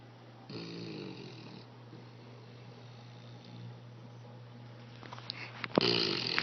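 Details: A sleeping English Bulldog snores indoors, a rattling, wheezy snore near the start followed by quieter breathing, then sharper snorting snuffles toward the end, all over a constant low hum.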